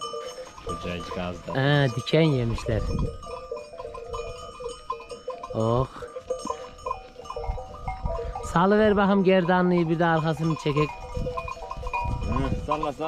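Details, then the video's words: Weaned Akkaraman lambs crying out for their mothers: scattered bleats early, then a long, loud, shaky bleat chorus near the end, with steady ringing bell tones throughout. "ARTIK KUZULAR ANNELERINDEN AYRILDI | ANAAAA ANAAA nerdesin diye bağırıyorlar"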